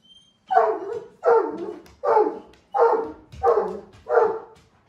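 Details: Blanche, a usually quiet Great Pyrenees who rarely gets excited, barks to get his owner to play: six deep, even woofs about three quarters of a second apart, each one strong and then fading, in a quiet room.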